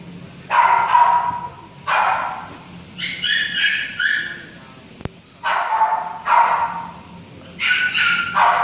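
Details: Young Great Dane barking in uneven bursts: loud rough barks mixed with thinner, higher squeaky yips, roughly one every second, with brief silent gaps and a single click midway.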